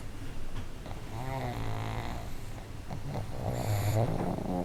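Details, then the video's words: Booming snores from two pugs in a multi-dog household. Low, grumbling rasps keep up a rapid, uneven rhythm, with a brief louder snort toward the end. "【パグ】いびき動画集 多頭飼いで爆音がシンクロ"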